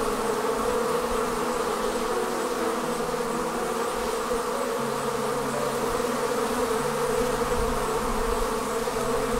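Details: Swarming honey bees leaving the hive make a thick, even buzzing drone that holds steady throughout, with layered humming tones and little variation in loudness.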